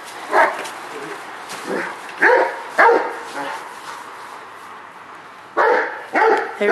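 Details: Excited Rottweiler Jero Vom Haus Nagy, a multi champion, barks while chasing his ball. The barks are short, gruff and uneven in spacing, and some are softer than others. Two stronger barks close the sequence.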